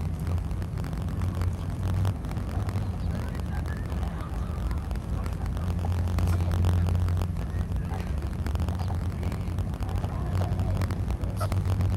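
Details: Steady low engine or machinery rumble with faint speech underneath, and no animal voices heard.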